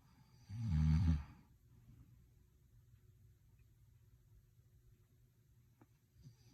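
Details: Dog asleep indoors gives one strong, deep, rumbling snore lasting about a second, then near silence with only soft breathing and faint room hum.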